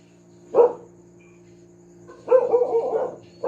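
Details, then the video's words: Pet dog barking noisily and repeatedly: one sharp bark, a pause of over a second, then a longer, strained run of rough barks with a tonal edge, over a steady low electrical hum. "tahol ng aso/dog barking/the dog sound"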